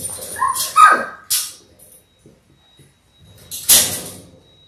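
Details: Six-week-old Labrador Retriever puppies from a litter of six born January 18, 2022, on an indoor puppy cam: one short, high whimpering yelp that slides downward, followed by a few scattered thumps and rustling.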